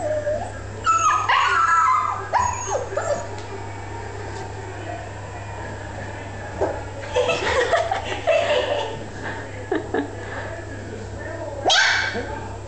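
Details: Bear Bear, a female pet puppy, yips and whimpers after rolling over while scratching an itch, answering laughter with a baby bark; short bursts early, quiet middle stretch, then more clustered yelps and a final sharp cry over a low hum.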